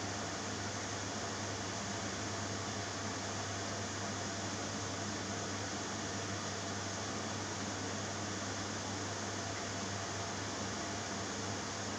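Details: Uniform fan or air-conditioner drone fills a small room, steady from start to finish without any animal voice.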